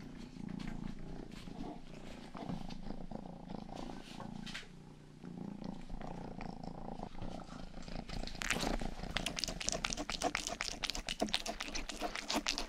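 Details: House cat Rang-i, youngest of several pets, purring and grooming a 3Dio binaural ear mic; a gentle rumbling purr fills the first two-thirds before rapid, sharp licking clicks take over in quick succession.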